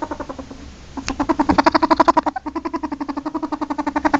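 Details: A ferret calling indoors: a quiet start, then from about one second a fast run of harsh, clucking pulses, roughly four to five a second, each rich and buzzy, continuing steadily to the end.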